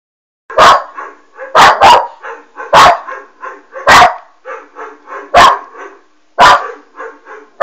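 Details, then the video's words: Alma, a West Highland White Terrier puppy, barks at a Doberman shown on a screen. Sharp barks come about once a second, with softer, lower yips and grumbles between them. The room is otherwise quiet. "Westie Alma barking on doberman"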